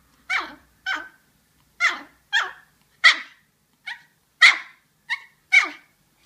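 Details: Yorkshire Terrier, indoors, as though trying to say something: nine quick, shrill, high-pitched yaps, some clipped and short, others fuller, at uneven intervals over six seconds; no background noise.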